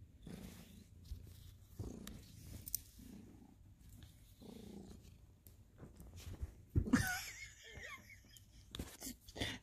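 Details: Two house cats, ginger Sir Salmon and tabby Abby Tabby, cuddling and playfully biting at Thanksgiving in November 2020; low purring comes in rhythmic breathy pulses about once a second, with a sharp rustling thump midway and light shuffling noises.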